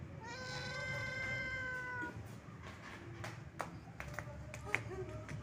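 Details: Sad-sounding old domestic cat, wandering: one drawn-out meow of about two seconds, flat then slightly falling, followed by scattered clicks and taps over a low background hum.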